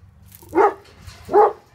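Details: Two Tornjak livestock guardian dogs, Hattori Hanzo and Leksi, barking at an intruder: two deep, rough barks about three-quarters of a second apart over a low background hum.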